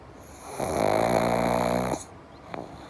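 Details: Pug asleep, one of the pair Java and Morgan, giving one long vibrating snore of about a second and a half, a rattling buzz with a clear low rumble, followed by quiet and a faint click.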